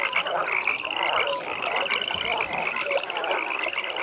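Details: Chorus of frogs at a pond at night, with overlapping fast-pulsed, rattling trills held steadily high and short low croaks here and there over a gentle ambient background.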